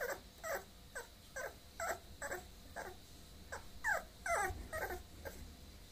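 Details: Bulloxer, a mixed-breed dog, whimpering in a run of short high yelps that slide downward, about two per second, rising in strength toward the end over low background hum.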